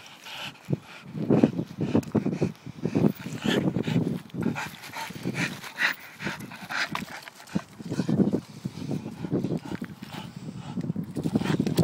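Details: Staffordshire bull terrier kept as a pet, being a pain: low throaty grumbles and groaning vocal bursts repeating irregularly throughout, with some sharp clicks and snorts.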